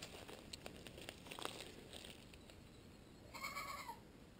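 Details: Wild goat in the bush just north of Wellington, New Zealand, giving a single wavering, slightly falling bleat near the end, after a stretch of faint clicks and rustling footsteps on the trail.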